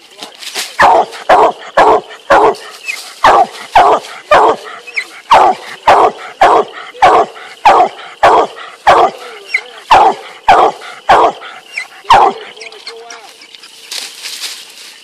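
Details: Male Black and Tan Coonhound, two years old, barking steadily while treeing a squirrel; harsh, chopped barks repeated nearly twice a second for twelve seconds, then quiet with faint background rustle.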